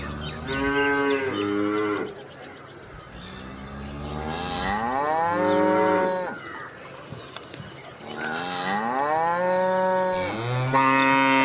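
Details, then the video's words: Cows moo repeatedly in a busy sequence of overlapping calls that rise then sag in pitch, with little pause between bouts, over a faint constant high hum. "cow moo moo interesting cow moo sound effect cow moo moo sound"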